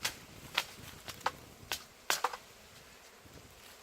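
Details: Scattered sharp clicks and knocks over a quiet background, with no animal voice heard.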